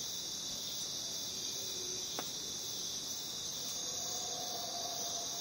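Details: A dense chorus of jungle crickets gives a steady, high-pitched trilling hum without pause.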